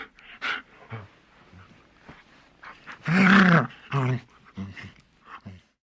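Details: A large dog growling: a few soft, low huffs, then a loud, sustained throaty snarl with a wobbling tone, another shorter snarl, then fading low grumbles.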